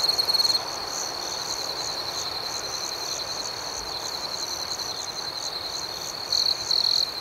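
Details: Nighttime cricket chorus: an unbroken shrill trill under rapid pulsing chirps. Louder chirp bursts come at the opening and again near the end. No other sounds stand out.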